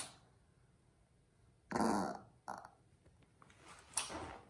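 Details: Maltese dog named Jaerong, indoors in a small room, eager for a bag of new potato chips he is told belong to his big sister; one short, rough, grumbling growl burst midway, then a few faint shuffling sounds.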